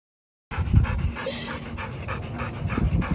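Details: Pet dog named Kamsuni panting during a game of fetch, rapid rhythmic breathy puffs about three per second, brief soft thumps, a woman praising and urging it on nearby.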